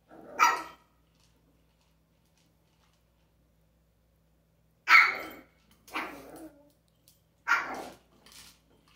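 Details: Sharp single barks from a pet dog with an interactive toy: one at the start, then after a long silence three more spaced about a second apart, each loud and clipped, in a quiet indoor setting.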